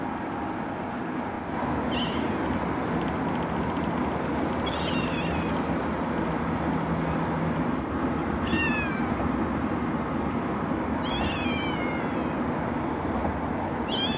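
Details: Calico rescue kitten Scout crying in a carrier on the car ride home from the shelter, adopted at 8 weeks old; five drawn-out, quavering meows spaced a few seconds apart above constant engine and road hum.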